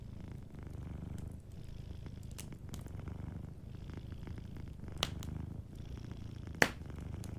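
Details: Low, rhythmic purring from a cat sleeping near a fireplace, the rumble cycling gently while the fire crackles and sends out two sharp, loud pops.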